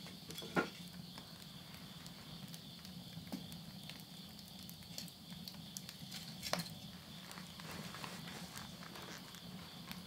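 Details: Night insects ring steadily and unbroken at midnight in September 2020, at the end of summer in the countryside of Yurihama, Tottori, Japan. Sharp crackles and pops come from wood burning in a home stove.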